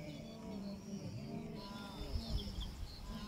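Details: In the southern Serengeti, Tanzania, a lost wildebeest calf amid a mega-herd converging near a fresh hyena kill repeats deep, nasal bleats and grunts calling for its mother, which it quickly finds; herd rumble and faint higher calls beneath.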